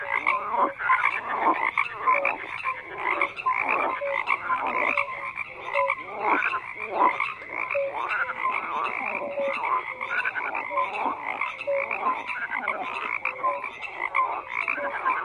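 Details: A chorus of croaking frogs, a thick mass of rasping, pulsing calls with repeated short tonal blips, many individuals calling at once at an even level.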